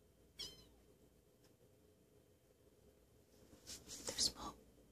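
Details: One of two Turkish Van cats, rescued from the streets three weeks earlier, gives a brief high chirp, then a cluster of sharp, breathy bursts.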